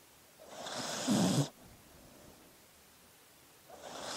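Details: A dog asleep lets out one rasping snore-like breath lasting about a second, then near silence before the next breath begins.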